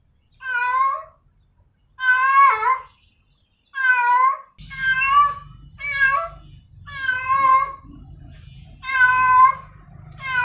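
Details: A female cat calls to a male with a run of seven long, wavering harmonic meows, closely spaced, while a low rumbling background noise starts partway through.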